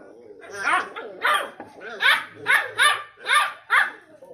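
Beagle puppies give a run of short, yappy barks and yelps back and forth.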